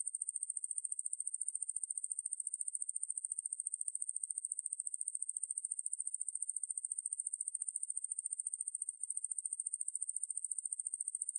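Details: Ruspolia lineosa, a conehead katydid, recorded for the National Institute of Biological Resources: a long, even, high buzzing trill of tightly packed pulses, holding constant loudness over its length with a clean, quiet background.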